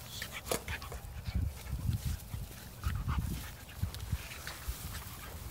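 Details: Doberman attacking a fox terrier, a vicious fight: low rumbling growls and scuffling bursts come in uneven pulses throughout, with sharper clicks and thumps above, no clear barking.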